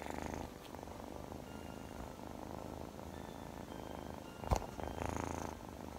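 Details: Scottish Fold kitten Chloe, playful and clingy in her early days, gives a continuous low buzzing purr with a fine rapid throb, briefly broken by one sharp knock before the rumble returns, slightly louder.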